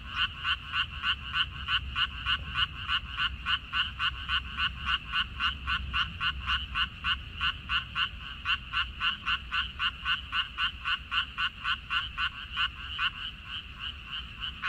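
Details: Chorus of frogs calling from a water dropwort (minari) field on 14 May 2021, a steady, fast, evenly spaced train of short rattling croaks, about three or four a second, continuing without break through the recording.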